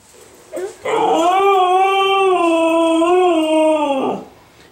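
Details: Siberian husky girl howling indoors, desperate to get out for a walk after a two-day move; a short yip, then a steady, rich howl held for over three seconds with slight pitch wobble, ending in a falling whine.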